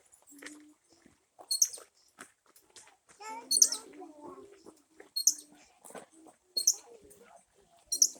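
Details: In a jungle, a squirrel gives sharp, very high, bird-like chirps, repeated about once a second, while a person talks briefly in the background.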